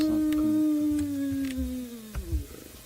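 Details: A spotted hyena at night near an elephant carcass at Djuma, South Africa, 27 March 2018, gives a long, low, hollow whoop sliding downward in pitch, a low contact call usually heard around dens, from behind the vehicle.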